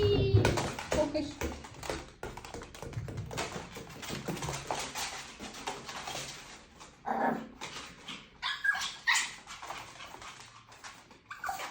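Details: Pomeranian dog playing indoors, styled as a little footballer: scattered short, high whines and yips come in bursts at the start, again midway and near the end, amid thumps, scuffling and room echo.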